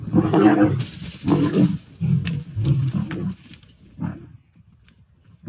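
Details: Young male lions in Kruger's Sabi Sands on 13 August 2024, a Monwana male challenging a Birmingham male beside a lioness and chasing each other; deep rough roaring grunts in rapid bursts, then fading to quiet.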